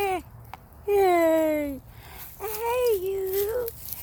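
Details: Goat with a new baby goat, giving two long, wavering bleats that slide slightly downward, each about a second long, with a brief human voice before them.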